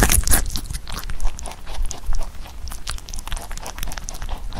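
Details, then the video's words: Pet rabbit Huchu eating Korean melon, a fruit it rarely ate when young but now eats well. Crisp, irregular crunching and biting, bursts about once a second, with soft wet chewing between bites. "토끼 후추의 참외 먹방 ASMR / Rabbit eating sound with Korean Melon"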